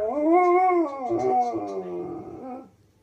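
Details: Single howl from a Malamute husky cross dog responding to TV wolves on a Steve Backshaw programme, rising slightly then sinking slowly and trailing away over about three seconds.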